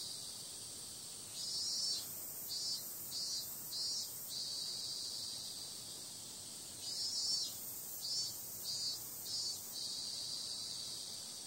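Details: Cicadas calling on a summer night, described as periodical cicadas: a steady, hissing high drone swells into pulsed bursts, repeated in two groups of about four throbs each, with no other clear sounds.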